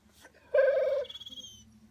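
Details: Excited pit bull named Oreo, urged again and again to speak, lets out one drawn-out harmonic whine-like note of about half a second, then a thin high faint tone trails off; a voice repeats the command around it.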